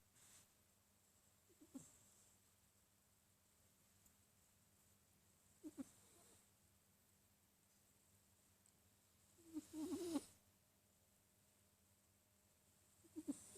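A sleeping Sphynx cat snores with soft, short raspy snorts about every four seconds.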